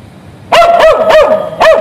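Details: ['Dog tied to a fence on the street while waiting for its owner, giving four loud sharp barks in quick succession, each with a brief falling tail, over faint street noise.']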